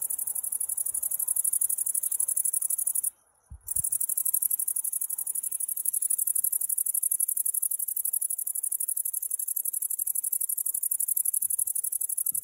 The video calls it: grasshopper singing